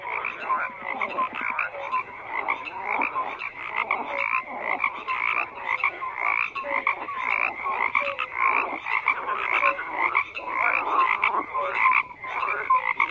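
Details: Dense frog chorus of many overlapping croaks, pulsed and grating, pulsing steadily throughout with short whistle-like notes mixed in; no other sounds stand out.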